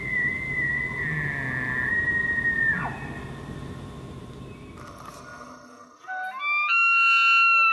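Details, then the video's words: Elk bugling, recorded in the wild: a sustained high whistled tone held fairly level for nearly three seconds, then a sharp downward slide, followed by quiet ambience and finally layered musical tones. "Elk Bugle Sound"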